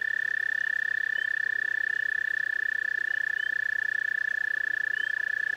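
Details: At a pond visited by several toads, one toad holds a continuous, rapid, pulsing trill throughout. Faint short chirps from other callers rise in the background.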